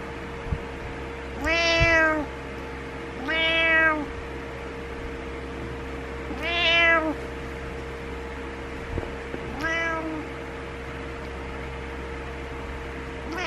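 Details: A house cat named Butters demanding its owner wake up in the morning, giving four separate meows spaced roughly every two to three seconds, each a slightly falling harmonic wail, with a constant low room hum.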